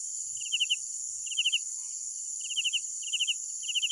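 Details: Night crickets chirping in short bursts of about four rapid pulses, repeated at irregular intervals, over a steady high-pitched hiss of other insects.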